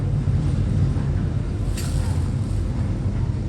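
Steady low rumble like a passing vehicle or wind, with a brief hiss partway through and no animal voice.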